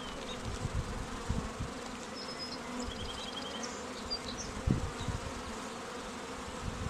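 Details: Apiary honey bees around queen cells on day 11, kept out of the wind: an even, low buzzing hum with occasional louder thumps, and light bird twitters and short trills in the background.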